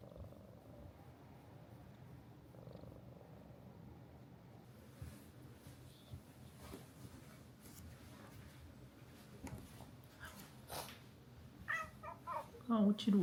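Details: Low, even purring from Mika-chan, the affectionate resident cat at a seaside hot-spring minshuku in Ito Onsen, Shizuoka, Japan, clearest in the first seconds, then giving way to rustling, clicks and a few louder handling knocks near the end.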